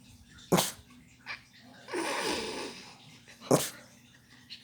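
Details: Pet dog barking indoors after hearing a knock on the door, sitting on a lap: two sharp, loud single barks about three seconds apart, with a softer breathy yawn-like sound between them and quiet room noise.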